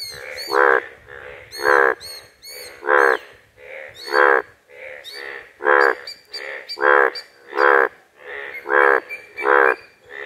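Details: A frog on a village pond gives loud, harsh, nasal croaks, each a brief burst repeated about once a second.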